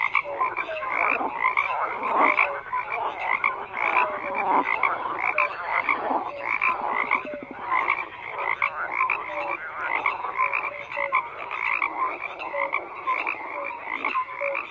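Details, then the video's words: Frogs croaking in a dense, continuous chorus: overlapping raspy croaks and trills, with short tonal notes repeating steadily under the din and no pause across the stretch. "FROGS CROAKING"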